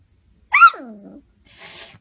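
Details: A retriever talking back: one whiny, moaning vocalization that starts high and slides down into a lower drawn-out groan, then a short breathy rasp.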